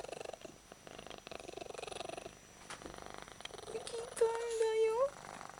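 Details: Domestic cat purring with all its might while being cuddled; a low, throbbing purr in breath-paced surges, then a woman's voice speaking gently over it toward the end.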